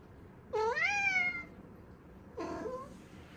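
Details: Domestic cat recorded indoors on 23 May 2022, whose cry sounds like a bird and always seems a little questioning: two short, tonal, rising meows, the first clear and longer, the second softer, over quiet room hiss.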